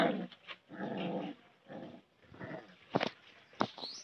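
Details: Puppies play-fighting in a village: low rumbling growls in several bursts, then two sharp high yips near the end.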